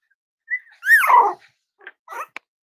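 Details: Cavalier King Charles Spaniel puppies playing and exploring with each other: a loud, high whimper that slides down in pitch, then a few short soft yips and a sharp click.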